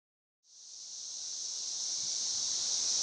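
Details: 13-year cicadas around a house in Missouri, recorded May 29, 2011: after a brief silence, a steady, high, hissing drone switches on and slowly swells in loudness, holding one even pitch throughout.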